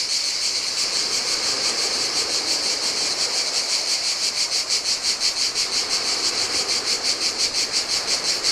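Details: Cicadas singing in the heat on a deserted Greek island beach (Lefkada) give a dense, high buzzing drone pulsing in rapid regular beats, over a soft wash of Adriatic surf.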